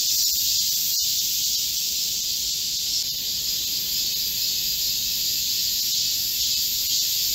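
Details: Korean cicadas singing together in a midsummer green forest amid a heatwave, 25 July 2024; a continuous shrill, hissing drone in high bands, with a brief sharp click about one second in.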